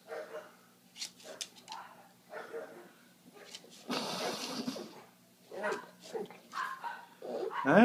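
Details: Pug whining and whimpering indoors while struggling to get good footing to sit on a blanket; short, pitched whines mixed with a man's voice speaking to the dog.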